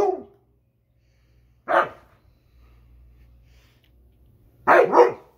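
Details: A Husky yelling at a lawnmower in short loud outbursts: a bark trailing off at the start, another after a silent gap, then a doubled bark, over a faint low engine drone.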